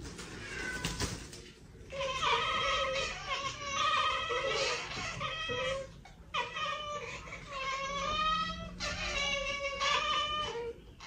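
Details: Cat chittering in long runs of pulsed, stuttering harmonic calls that waver in pitch, broken by short pauses, over quiet indoor background noise.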